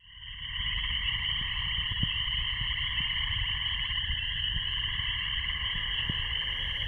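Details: An evening frog chorus just before sunset in late May 2015 on Bald Eagle Lake, Boundary Waters, Minnesota: many frogs singing in a frenzy, high buzzy trills merging into a steady wall of sound over a soft low rumble, a few faint ticks, mosquitoes swarming.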